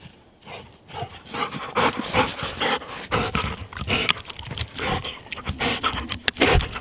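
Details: A black Labrador Retriever named Thor, playing, pants and snuffles in quick, breathy bursts with rough, noisy grunts.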